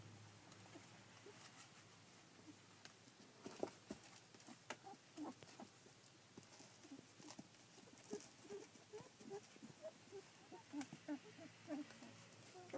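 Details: Two-week-old Collie puppies, filmed 9 July 2012, uttering faint piping whimpers that become steadier and more frequent in the second half, amid light pattering and shuffling noises.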